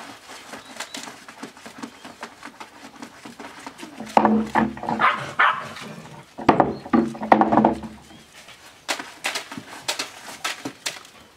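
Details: Australian Shepherd puppies aged seven weeks playing: two stretches of low buzzing growls mixed with whiny yips, surrounded by tapping and scratching sounds of paws and toys.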